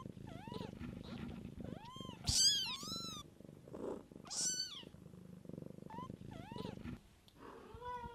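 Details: Mother cat raising kittens, a low pulsing purr underneath a busy run of overlapping kitten mews, some short and chirpy, others longer and louder, several voices calling close together.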